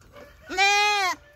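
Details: Dappled twin Boer goat kid, a bottle-raised doe on a goat farm, hollering for attention from its owner: one loud, drawn-out nasal bleat with a rich harmonic stack, slightly falling at the end.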